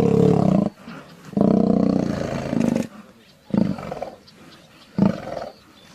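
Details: Lion roaring: a loud, deep, rough roar opens, then a longer sustained roar of about one and a half seconds, followed by two shorter grunting roars spaced over the next few seconds, with quiet gaps between them.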